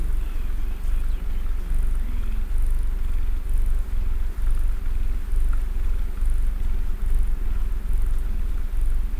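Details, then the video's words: Domestic cat named Mister Man purring while snuggled and sitting still: a deep, continuous rumbling purr, steady and unbroken across the whole stretch, with faint, evenly spaced soft ticks high above it. "Cozy Cat Snuggles 🌧 REAL PURRING"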